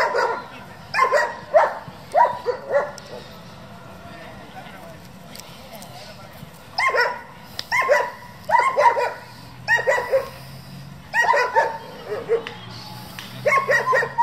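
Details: Competition-bred German Shepherd in a working group barking in short clusters of two to four sharp barks, separated by quiet gaps of a second or more, across a steady low background.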